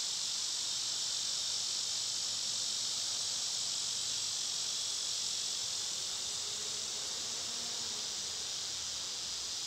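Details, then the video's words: Cicadas droning in summer, when they are loud: a continuous shrill, sizzling wash of sound that holds steady for the whole stretch, with a faint low murmur beneath. "Cicada sounds"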